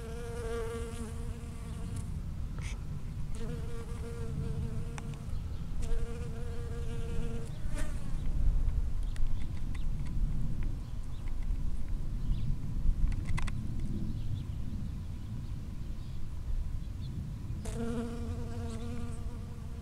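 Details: A bee foraging from one strawberry flower to another in a strawberry field, recorded 5 cm or closer on 19 June 2011; steady droning buzz in bouts of about two seconds, broken by pauses, over constant low rumbling background noise.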